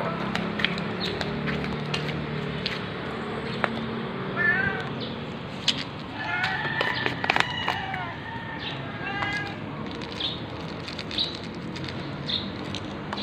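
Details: Ginger stray cat Jerry meowing at 6:32 AM on 13 November 2021, recorded on an OPPO A5s phone; scattered short chirpy meows with bending harmonics among clicks, taps and a low background hum.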